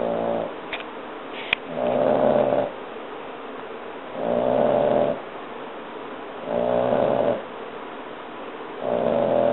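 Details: Fiona, a 3 1/2 month old female French Bulldog puppy, snoring her head off while asleep; loud buzzing snores about every two seconds, each lasting about a second, alternating with softer breathing.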